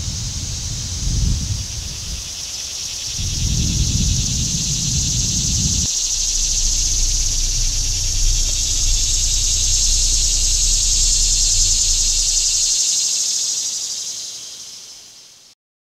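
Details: Summer cicadas sustain a loud, high, sizzling drone, with bursts of low rustling or wind noise early on and a deep hum in the middle before the buzz fades out.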